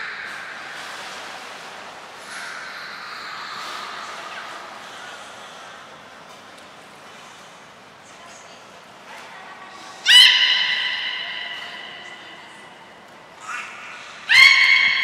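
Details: Captive belugas Gray, Nana and Mirai training at Port of Nagoya Public Aquarium on 7 June 2022: soft murmuring background, then two loud harmonic squeals, rising sharply at the onset, some four seconds apart near the end.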